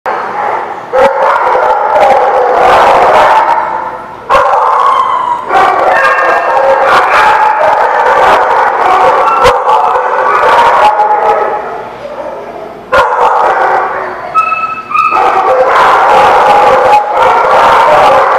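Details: Many dogs at The Barking Lot, 28 April 2017, barking and howling at once in a loud, dense, overlapping chorus, with brief dips in volume before the din resumes.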